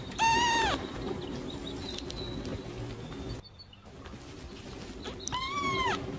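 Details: Tiny newborn kitten crying: a loud, thin, arched mew at the start and another rising then falling mew near the end, separated by quiet rustling and faint background noise.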